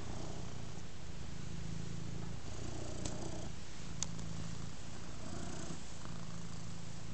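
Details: Big black house cat purring contentedly on a rug as it receives scratches; deep, rhythmic low rumble with a brief softer pause near the middle and a couple of sharp clicks.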